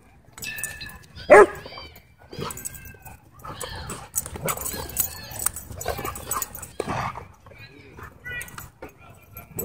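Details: Dog at a dog park barking and yipping excitedly in short sharp bursts, with people talking over it and some music.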